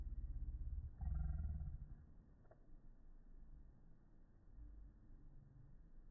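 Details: A female Pekingese gives one deep, rough, drawn-out bark, filmed in slow motion, sounding almost like a roar, a lion, cow or monkey.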